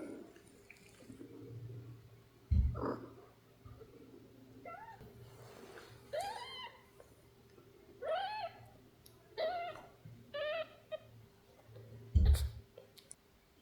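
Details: Sleepy young kittens indoors, giving a series of soft, thin, arched mews that rise and fall, several in a row over a few seconds, against a quiet low hum with a couple of louder bumps.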